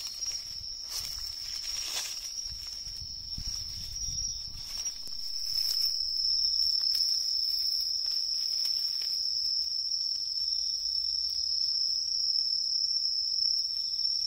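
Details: Autumn tree cricket song from riverside woodland: a continuous high-pitched trill holds steady throughout, while footsteps and rustling from someone walking crunch through the first half before fading, leaving the insect ringing clearly.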